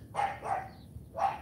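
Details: CHARME, a female AKC champion Cane Corso puppy in morning training, giving three barks: two rapid ones about a third of a second apart, a pause, then a third bark.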